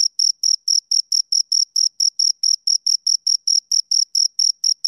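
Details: Chirps from two crickets: shrill, evenly spaced pulses, roughly four per second, each a short ringing burst, over total quiet with nothing else audible.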